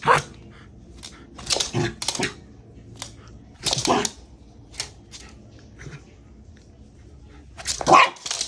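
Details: Shiba Inu named Haru, worked up and going wild, giving short sharp barks in bursts: a cluster in the first two seconds, another near four seconds, then a quiet stretch before a final loud bark at the end.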